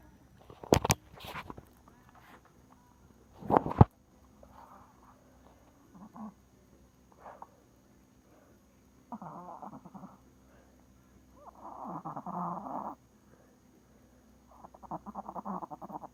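A small dog makes odd nasal grunts and snuffling whines, some short, some drawn out for a second.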